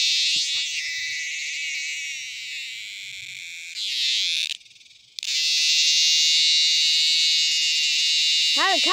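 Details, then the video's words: Dog-day cicada, just caught: an intense, shrill electric buzz that runs almost without pause, briefly silent about halfway through, then resumes at full strength, with a person's voice starting at the very end. "I cought a superb dog day cicada on camera"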